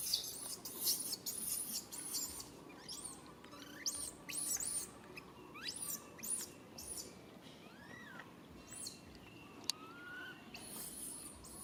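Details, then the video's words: Baby monkey calling its mother for help while she cannot come: thin whistled cries that rise and fall in short arcs, some reaching higher and sliding down, among loud buzzing insect bursts and chirps. "Po-or baby monkey RAIN calling mom RANY to helps but can't."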